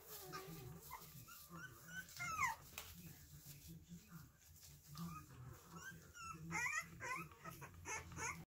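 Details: Three-week-old Pembroke Welsh Corgi puppies squeak and whimper indoors, thin high cries sliding up and down and overlapping in bursts, some sharper yelps near the end, over a low electrical hum and faint handling noise.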